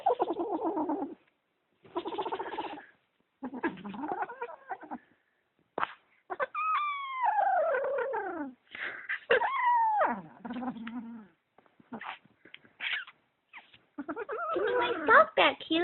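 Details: A kitten possessive over socks alternates rough low growls with drawn-out yowls that slide downward in pitch, in irregular bursts separated by short silences, with handling noises throughout.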